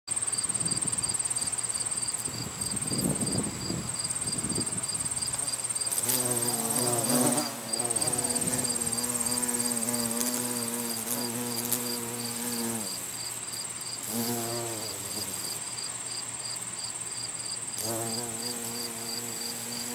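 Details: Carpenter bee collecting pollen at a botanical garden on September 3, 2020: a low, droning buzz with rich harmonics comes in bouts of several seconds, fading in and out, over a steady high-pitched whine and soft rustling.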